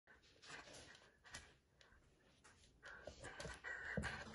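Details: Corgi; play growl; playful growling during tug-of-war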